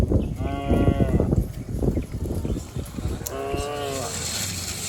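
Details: Cows and bulls bound down a lush green hillside in the countryside. Two separate bellowing moos about three seconds apart stand out over steady trampling and rustling from the running herd.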